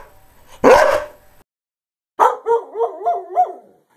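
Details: Greyhound giving one loud, harsh bark, then after a silent pause a quick series of four or five wavering, higher yelping calls.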